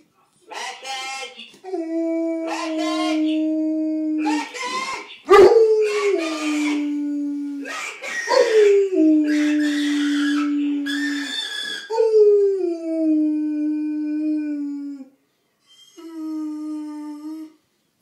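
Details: Kipper the dog howling in response to a phone ringing: long sustained howls gliding slowly downward, several drawn-out notes in a row with short breaks, harmonics stacked above, ending with a final shorter howl after a pause.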